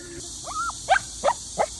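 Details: A Shih Tzu, excited at seeing a sika deer, gives a rising whine, then three sharp, high yipping barks.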